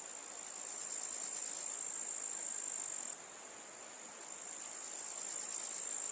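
A grasshopper makes a high, hissing buzz that runs steadily, briefly softens, then swells again.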